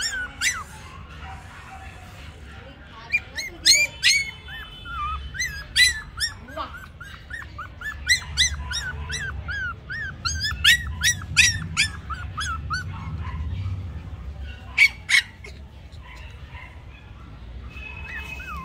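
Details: Male and female Toy Pomeranian puppies in Mumbai give a busy stream of thin, high whimpers and sharp yips, many puppies overlapping, about two to three calls a second, over low rumbling background noise.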